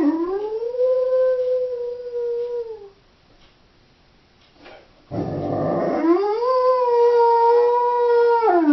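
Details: Doberman bitch howling when left alone at home: a long level howl of about three seconds ending in a drop, a quiet pause, a noisy breathy onset, then a second sustained steady howl that falls away at the close.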